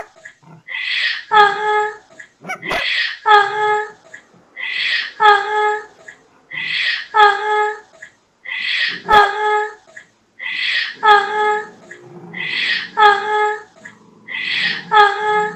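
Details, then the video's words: Dog barking indoors, a steady series of about eight calls, each a harsh noisy burst running straight into a clear ringing whine-like tone, repeated roughly every two seconds with short silences between. "Dog barking sound"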